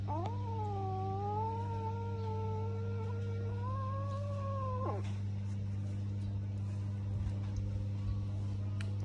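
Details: A domestic cat while eating gives one long, drawn-out wailing meow of about five seconds. It swoops up at the start, holds fairly level with a slight rise, then breaks off abruptly. A steady low hum runs throughout.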